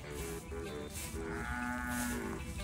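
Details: An ox gives a low, drawn-out moo over the steady hiss of falling rain.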